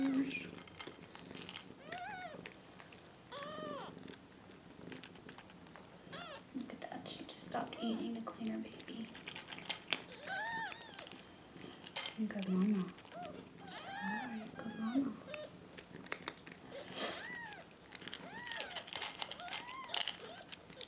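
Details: One-day-old newborn foster kittens, five in the litter, with their mother Nala, indoors on 26 February 2015; thin, high, arching mews repeat and overlap throughout while a person talks softly over them.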